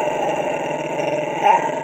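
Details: Pet Lhasa Apso 'talking' with one continuous, steady rumbling growl lasting the whole moment, briefly swelling near the end.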